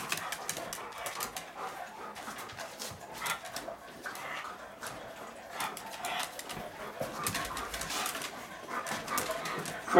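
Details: Furby, a blind, diabetic senior female pug, very excited at dinnertime, with rapid rhythmic snorts and huffs running through the whole stretch, and a person calling out dog names in a room.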